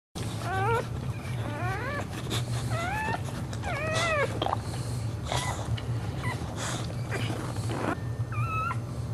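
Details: Boxer dog giving birth live to four puppies, licking the newborn before its first nursing: high squeaky whines from a newborn puppy, rising then falling, in bursts during the first half, with low background hum.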